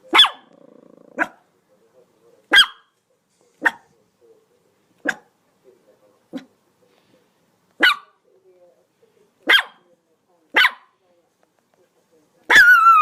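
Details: Dog barking: a series of about ten short, sharp single barks at irregular intervals of one to two seconds, some softer, ending with a longer, louder harsh burst, quiet background in between.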